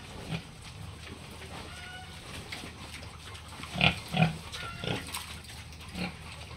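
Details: Pigs on a local farm keeping Hampshire, British Landrace and Yorkshire breeds with piglets: low irregular grunts, two strong ones close together near four seconds, faint thin squeals and constant pen noise.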